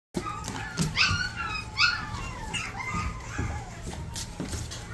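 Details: Japanese Chin dog giving high, thin whimpering yips: two sharp rising squeals early on, then softer wavering whines, over a low steady indoor background hum.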